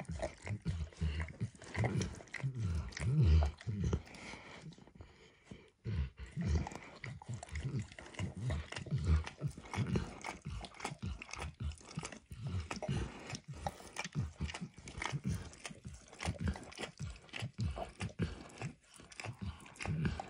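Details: Emperor Max, a dog, keeps licking a bumpy orange mat spread with eggs and peanut oil; dense wet slurps, a short lull near the fifth second, then fast continuous lapping with soft clicks.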